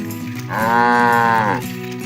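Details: Cows roaming the fields, calling their friends to come home to the barn: one long harmonic moo of about a second, steady in pitch and falling off at the end, over a low continuous tonal hum.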